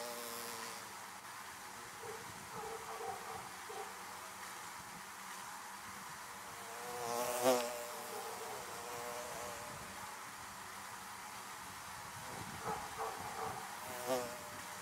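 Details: Constant droning of bees at beehives, broken by occasional close fly-bys, one sharp loud buzz near the middle and another toward the end, over a steady background hum.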